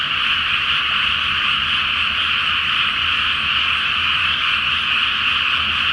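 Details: Great frog chorus on a moonlit night over a rice paddy flooded for planting; countless overlapping croaks merge into one steady, bright, continuous drone without breaks.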